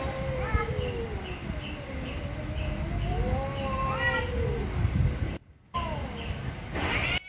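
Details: Angry cats giving lower, drawn-out moaning meows over steady low-pitched background noise, with faint short high tones repeating behind and brief dropouts near the end.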